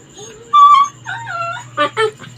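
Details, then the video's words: Labrador dog tugging to break free of its leash, appearing angry and crying; a few thin, drawn-out whines, one louder sliding cry, then two short yelping bursts near the end. "Gusto niya kumawala sa tali, parang galit, umiiyak || LABRADOR DOG"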